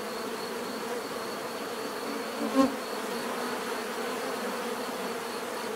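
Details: Bees buzzing in nature, a steady dense drone with layered hum bands around a low fundamental, one brief louder swell near the middle as a bee passes close.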